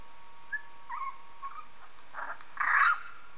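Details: High, thin whines from Purdy, a female dog, as she reacts to a 3-week-old puppy's recorded cries; faint squeaks early on build into one louder, strained whimper near the end, with a constant low hum underneath.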